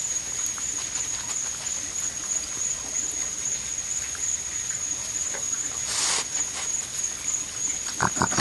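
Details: Raccoons, four visiting together and not sharing, squabble with brief harsh squealing bursts: one sharp outburst midway and another rough cry at the very end, over a steady high whine and scattered pattering clicks.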